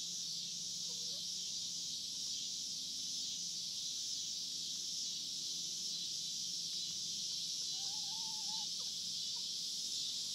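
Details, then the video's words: Hard Fifty Farm cicadas produce a continuous buzzing wall of sound, while two faint short whistled notes from another animal appear early and late. "Recording of cicada sounds on the Hard Fifty Farm"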